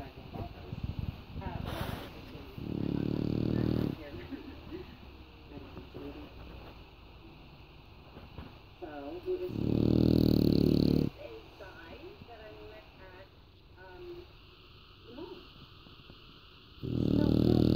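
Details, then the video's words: English Bulldog snoring while resting on a person who cannot get up; loud, rough, low snores about a second long come roughly every seven seconds, with a man's quiet speech and soft rustling between them. "Snoring English Bulldog"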